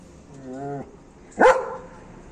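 A German Shepherd lets out a single loud, sharp bark after a brief low, tonal grumble.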